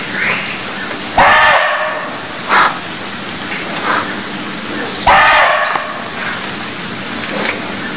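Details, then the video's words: Cambodian barking deer giving two hoarse, clipped barks about four seconds apart, with quieter muffled sounds between them against a hissy background. "Cambodia Sound Deer Calls || សម្លេងសត្វឈ្លូសស្រែក"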